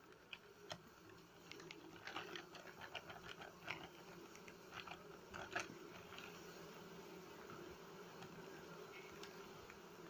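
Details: Honey bees buzzing as their nest is harvested and smoked to calm them, in flowering season. Low steady droning hum with scattered sharp clicks and taps from handling over the buzz.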